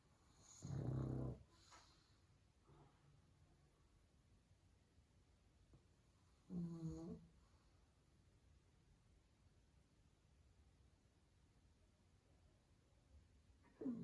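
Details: Pug dog sleeping inside after a tiring day of fun, loud rasping snores recurring about every six seconds, with soft breathing between them.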